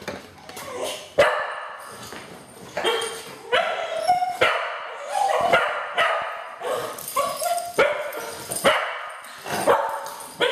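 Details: Two cocker spaniels, every morning, whine and yip eagerly while waiting to go to the beach, high cries rising and falling every second or so. Cocker Spaniel.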